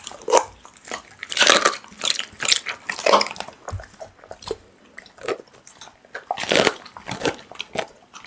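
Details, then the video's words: A pit bull chews raw meat with loud, crisp crunching bites that repeat roughly every half second, with wet, squelching tearing in between. "Pitbull eating raw meat Asmr"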